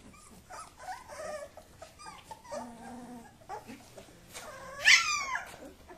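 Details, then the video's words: Kuvasz puppies play-fighting as their sire supervises; steady buzzy growls with layered tones run through the middle, ending in a sudden loud squealing yelp that bends downward. "Kuvasz Puppy Wrestlemania"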